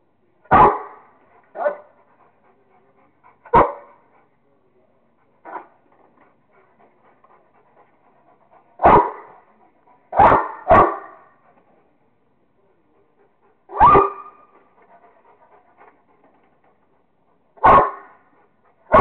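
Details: Rottweiler at play with a squirrel, giving loud, abrupt, harsh barks at irregular intervals, some in quick doubled bursts, about nine in all, with quiet grumbling and huffing between them.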